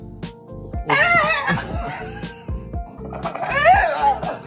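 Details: Background music plays while people laugh and voices rise and fall. No animal call stands out.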